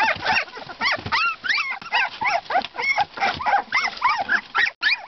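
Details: Siberian Husky pups at two weeks old, near their worn-out mother, whimpering and squealing together: quick arched and rising whines, roughly three per second, overlapping from several pups, with brief yips in between.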